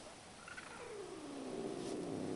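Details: Indoor domestic cat in bed, unhappy and scared near another cat it dislikes, giving a faint, low, drawn-out growl that slides downward and is barely audible above a quiet background hiss.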